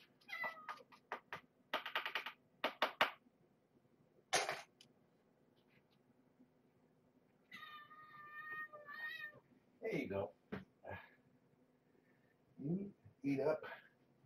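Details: Around Marge, a former stray mother cat being fed while her kittens are weighed, a run of sharp clicks gives way to a long, drawn-out wavering meow, then lower muffled calls and a person talking quietly.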